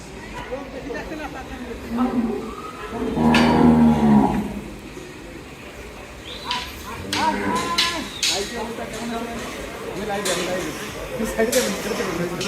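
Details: American Brahman cattle weighing over one ton, held on a farm; a single long, low, droning moo lasting just over a second, amid men's voices, shouting and clattering noises.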